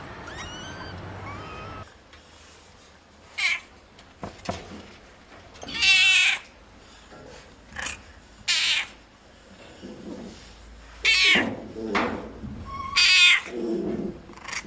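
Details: Cats and kittens meowing: a faint meow at the start, then several loud, harsh, wavering meows spaced a few seconds apart with background noise between.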